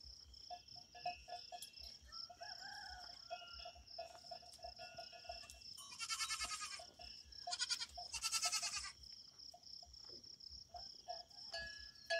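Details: Relaxing big goat giving two pulsed, quavering bleats in the second half over a constant high-pitched whine and faint tonal chirps.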